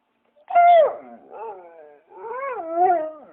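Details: Dog yelping sharply once, then giving wavering, moaning whines that rise and fall in two drawn-out phrases.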